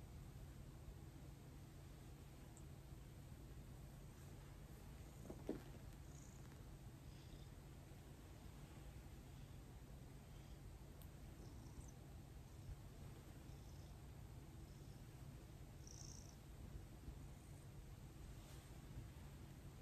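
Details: Thomas, a domestic cat being massaged by hand after eighteen days of gentle handling, purrs in a steady low drone with an even rhythmic throb, a brief soft rustle near five seconds and faint hiss behind.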